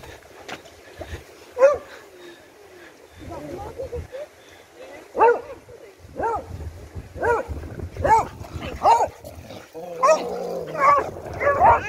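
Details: Beagle at play after search and rescue training, letting out scattered yips and barks that grow denser and higher toward the end, mixed with whining notes and a person's voice.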